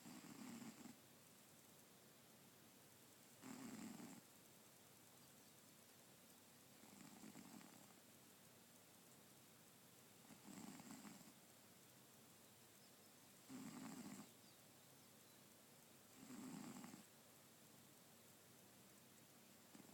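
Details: A sleeping cat snores very quietly. Soft, low, breathy pulses repeat steadily about every three seconds over a constant background hiss.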